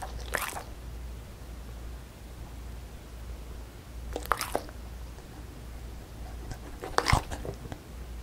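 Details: Beagle female 송뭉이 crunching a puffed rice snack in a quiet room; three separate crisp bites spaced a few seconds apart, with near silence and a low hum between them.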